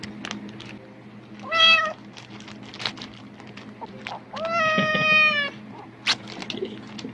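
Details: Domestic cat responding to plastic-bag rustling in hope of food: two meows, one short and bright, the other longer and drawn-out with a flat tone, between clicks and light handling noises over a low hum.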